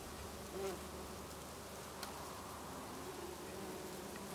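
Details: Bees buzzing among lavender in a Brittany garden in August; a faint continuous low hum underlies the scene, with a soft swell near the start and a single sharp click midway.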